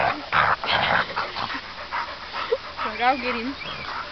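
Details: Several dogs playing outdoors, among them American Staffordshire terriers, Labradors and a black Labrador-Staffordshire cross; talking at the start, then one dog gives a high, wavering whine-yip that rises and falls near the end.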